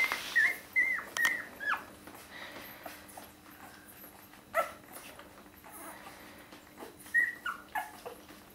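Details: One-week-old Border Collie puppies from the litter of Lynn and Kyle, indoors: thin, high squeaky whimpers rising and falling in quick bursts of three or four at the start, then single squeals near four and seven seconds over a steady low hum.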